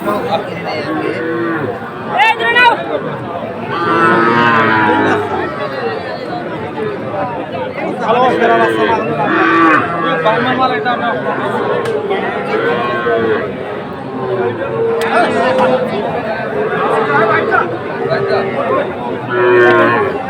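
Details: Busy cattle market in Comilla, Bangladesh, on 14 September 2024, with farmers buying bulls; repeated overlapping moos of varying length rise above steady crowd chatter and bargaining for about twenty seconds.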